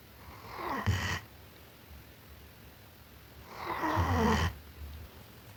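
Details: Sleeping German Shepherd dog snoring indoors: two rasping, breathy snores with a low rumbling core, about three seconds apart, quiet breathing between them.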